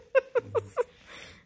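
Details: Excited Bluetick Coonhound puppy with a treat bone, indoors: four evenly spaced, sharp yips, each dipping slightly in pitch, followed by a soft breathy rustle.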